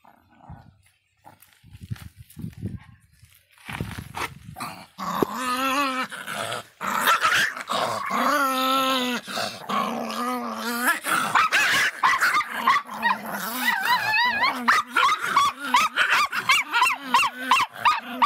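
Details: Feisty Miniature Pinscher barking: after a quiet, scattered start, a rapid run of high, wavering, whiny yelps and barks, several per second, pitch rising and falling, growing louder and denser toward the end.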